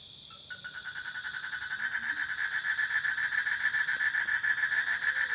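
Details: Frog call fading in over low background noise, a quick pulsed rattle that gradually grows louder and steadier.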